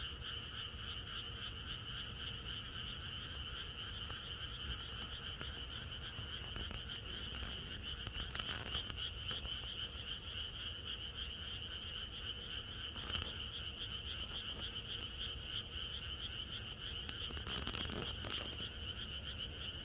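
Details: Rural night chorus of frogs before rain, sustained and uniform for the whole length: high, shimmering trills over a lower band of croaks, with a few scattered knocks and clicks in the later part.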